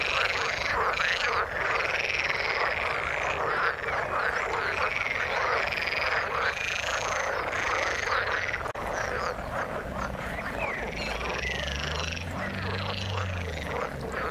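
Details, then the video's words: Frogs calling in the water, a dense chorus of overlapping rapid croaks and pulsed trills packed between mid and high pitches, continuous with no pauses; a low hum enters near the end. "Frog sound in the water"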